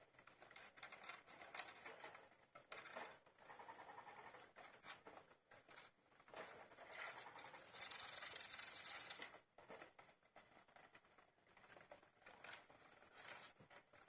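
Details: A litter of fifteen-day-old hamster pups, already eating on their own, shuffle and scratch constantly while one bursts into a thin, very high trilling squeak for over a second midway.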